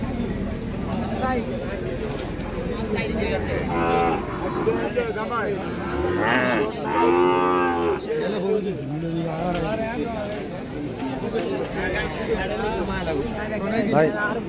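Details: Qurbani cattle for sale at a busy 2024 livestock market, lowing several times with short and longer bellowing moos, one strong one near the middle, amid constant crowd chatter and market noise.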